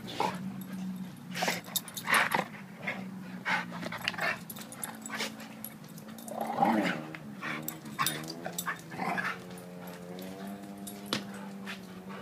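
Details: Two dogs play-wrestling, a 7-year-old blue/red pitbull and a 7-month-old German Shepherd: a low, steady droning growl runs through most of the clip, broken by sharp yips and a rising, whining series of harmonic cries near the end.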